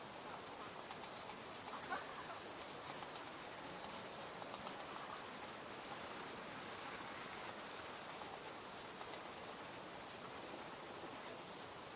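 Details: Steady broadband hiss like rain or rushing water, with no animal sound standing out.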